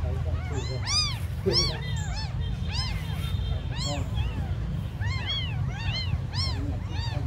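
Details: Very small abandoned kittens mewing in short bright arched cries, some overlapping, with a brief faint tone midway and a steady low rumble underneath.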